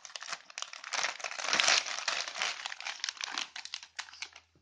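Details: Gift wrapping paper crinkles and tears continuously indoors as a Chihuahua opens Christmas presents, with no animal voice heard.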